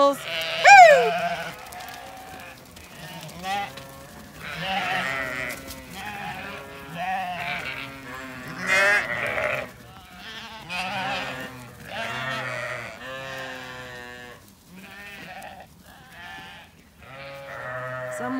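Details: Freshly shorn Zwartbles ewes on a regenerative farm in County Kilkenny, Ireland, at the end of shearing day before a heatwave; a flock bleats almost continuously, overlapping wavering calls of varied pitch, some loud and strained, with low murmuring voices beneath.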